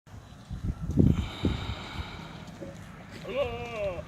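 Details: Jamunapari goat at a Madurai goat farm gives a short quavering, wavering bleat near the end, preceded by low human voices and rural background noise.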